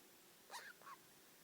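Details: Pet degu, four years old, muttering: two short, quick chirping notes a quarter second apart, the first sliding downward, the second a brief flat squeak, in a quiet room.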